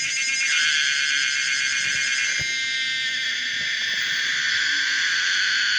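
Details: Common cicada Pomponia linearis producing a steady, dense buzzing drone with a rough, rapidly pulsed texture, shifting slightly in tone partway through and continuing unbroken to the end.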